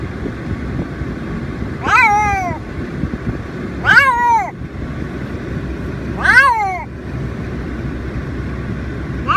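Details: A female Siamese cat in her carry bag on the way to the vet gives loud, drawn-out, wavering yowls about every two seconds, protesting confinement.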